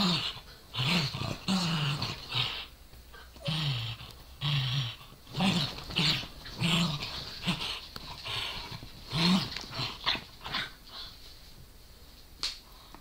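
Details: Corgi and Dachshund play-fighting over a toy, the corgi growling and baring teeth while the dachshund barks; low rumbling growls come in short bursts about once a second, mixed with scuffling and higher yaps.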